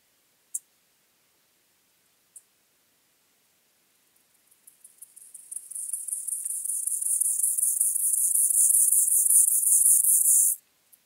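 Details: White-clubbed grasshopper singing at Elsbethen, Austria, on 18 September 2020: after two isolated ticks, a very high, hissing stridulation builds from soft scattered pulses into a loud, dense buzz that holds for several seconds, then stops abruptly.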